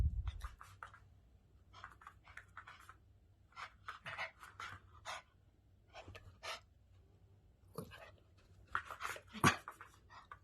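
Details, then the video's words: Big dog making rapid breathy, huffing bursts in short irregular clusters, loudest near the end, with quiet pauses between groups over a steady low indoor hum. "Most big Dog funny sounds"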